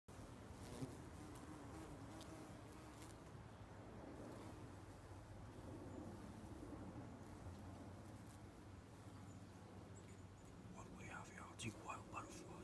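A bumblebee's low, steady droning buzz hums throughout, with a few faint clicks near the end.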